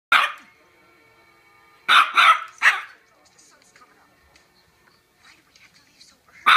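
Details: Teacup Yorkshire Terrier barking: sharp, high-pitched yaps, one at the start, a quick double-and-single burst near two seconds, then quiet before another yap at the end.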